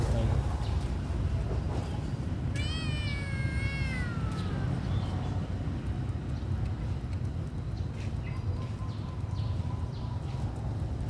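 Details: Small hungry kitten gives one clear, plaintive meow that starts high and slides steadily downward over about a second and a half; low hum and quieter background noise fill the rest.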